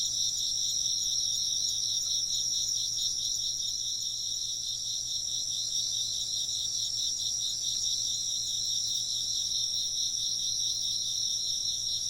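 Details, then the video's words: Insects chirp nonstop in a dense, shimmering chorus of rapid high trills, about two to three pulses per second, over a faint steady hum. "風鈴の音と虫の声 - wind chimes and chirping insects"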